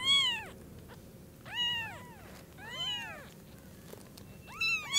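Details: Newborn kitten at Lucky Paws, eyes newly opened, seeing its mother cat for the first time; high thin arched meows, four cries spaced about every one and a half seconds in a quiet room.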